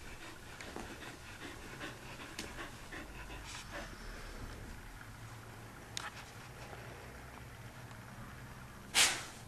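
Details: Belle, a dog that dislikes being wet, in her routine after a bath: steady soft breathy panting runs through the recording, with a sharp brief noise near the end.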